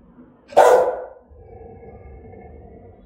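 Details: A single loud, harsh threatening bark from an aggressive Rottweiler, followed by a short ringing echo and a low background murmur.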